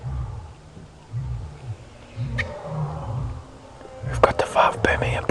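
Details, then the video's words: Five male lions of a coalition give a distant series of deep, booming grunting roar pulses, about one each second, heard through the bush at sunrise near a buffalo carcass in the Sabi Sand, South Africa; no answering roar follows. "Huge coalition of males roaring their defiance at whatever else is around over here."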